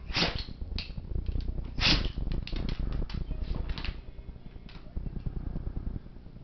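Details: Monty, a seven-year-old black Labrador Retriever, in a sneezing attack: two sharp, explosive sneezes near the start and just before two seconds, followed by a run of shorter snuffly bursts over a low rumbling background.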